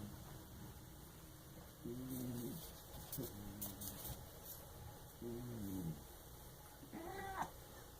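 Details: Lucky, a fat cat sleeping in the bathtub, gives three low rasping snores about a second and a half apart, followed by a brief higher rising vocal sound as he is woken, with faint clicks and scraping.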